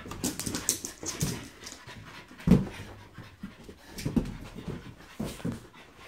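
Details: A French Bulldog at play with a balloon gives short snorting breaths and a few deeper grunts. A loud low thud comes around the midpoint, with quick rustling scuffles in between.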